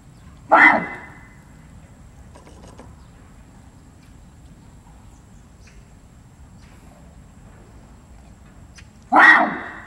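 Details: Zoo barasingha, Seoul Grand Park, South Korea, 6 December 2021: two short, harsh calls about eight and a half seconds apart, with faint rustling and a low hum between them.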